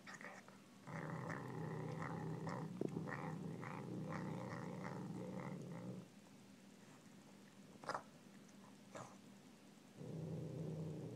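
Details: Savannah cat at home growling while it eats pork: a deep, pulsing growl for about five seconds, a break filled with chewing clicks and a couple of knocks, then the rumble starts again.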